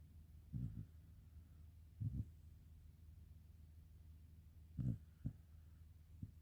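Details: Sleeping black Shiba Inu Karin snoring gently indoors, low muffled puffs arriving in loose pairs, a couple of seconds apart, with a final faint short breath, against a quiet room hum.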